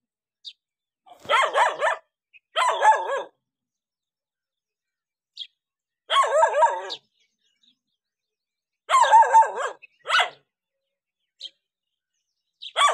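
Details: Barking dog reacting to a stranger, short clusters of sharp repeated barks coming every few seconds with silences between, faint high ticks scattered through the pauses.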